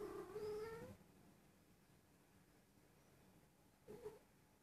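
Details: Persian cat, a young female nearly one year old believed to be in heat, gives one long, rising, strained meow followed after a pause by a brief softer one.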